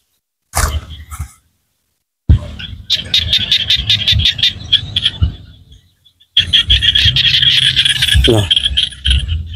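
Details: Small frogs in rural Cambodia call in rapid, buzzy bursts of high clicking pulses, with many voices overlapping.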